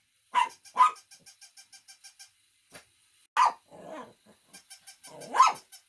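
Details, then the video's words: A few loud, harsh barks from a dog spaced out over a few seconds, with faint rhythmic ticking in between and a brief low grumble. "Funny Dogs Barking to Make Your Dog Bark"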